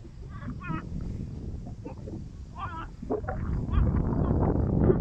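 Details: Frogs calling near Tosunlu in Ardanuç, Artvin, Türkiye: short rippling croaks, each a quick stack of wavering notes, given in bursts, against a steady low rumble and rising background noise toward the end.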